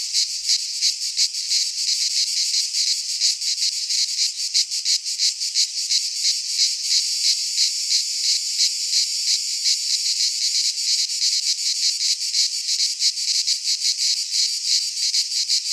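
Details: Cicadas singing in midsummer in a Greek pine forest; a dense, loud, continuous high buzzing chorus with rapid pulsing throbs, no other sounds standing out.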